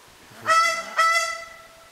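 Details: An indri at Mananara Lodge, Madagascar, gives alarm calls: two short, nasal, honking calls in quick succession, each rich and slightly falling.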